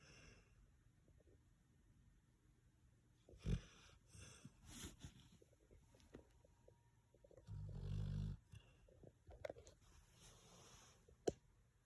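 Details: Chance, a red-nose American Pit Bull Terrier, sleeping and snoring, a dog said to snore loud enough to be heard from the next room; soft low rumbling breaths with a louder, longer snore near the middle and faint clicks around it.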